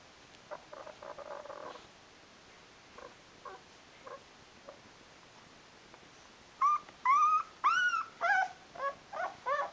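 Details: Twelve-day-old Rhodesian Ridgeback puppy, Mister Grey of the D-litter, indoors: soft faint squeaks early, then a run of louder high whimpers, arched whining cries with rising and falling pitch, repeated roughly every half second near the end.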